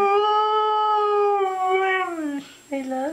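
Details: Pet dog howling on its owner's prompt, a long, steady, tuneful wail holding one pitch with rich overtones, dipping and breaking near the end, then a shorter rising second howl.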